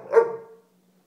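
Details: A pet dog giving a single short bark indoors, a sharp onset falling into a fading tonal tail lasting about half a second, in a quiet room.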